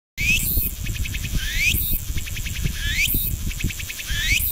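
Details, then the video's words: Cicada recorded in Ibaraki Prefecture, Japan: loud rising sweeps climbing toward high pitch, each followed by a rapid pulsed buzzing phrase, the cycle repeating about every 1.3 seconds over low rumbling background noise. "Calls of 5 Cicadas"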